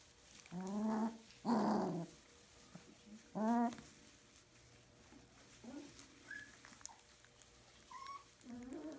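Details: Puppies whimpering and whining: several high, harmonic cries in the first four seconds, then softer scattered squeaks and whines, quiet background.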